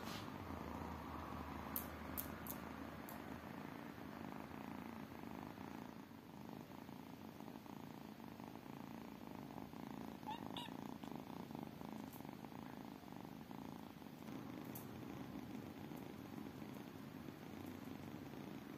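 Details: Purring from tiny kittens: an even, rapid rumbling throb that carries through the whole stretch, briefly softer midway, with scattered light ticks and rustles.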